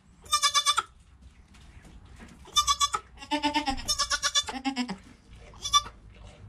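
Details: Goat kid Joel in the first hour after birth beside his mother Penny, filmed on a GoPro; sharp high bleats alternate with deeper, longer bleats that slide slightly downward, closely spaced over a quiet barn hum.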